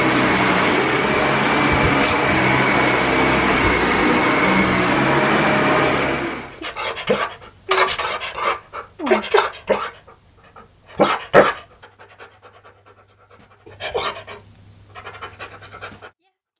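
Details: Key, a Siberian Husky that is not scared of vacuums and plays fetch with one, pants indoors; a vacuum cleaner drones for six seconds and then stops, followed by quick breathy panting bursts in uneven runs with short pauses.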